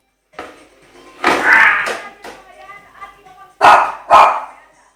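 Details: A scared 8-month-old Shih Tzu barks at a skateboard; a person speaks over a harmonic whine before two sharp, closely spaced barks end the recording.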